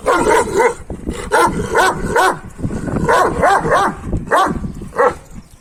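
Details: Male Kangal dogs trying to win a female give bursts of high whining yelps, two or three at a time, each rising then falling, with brief pauses between groups.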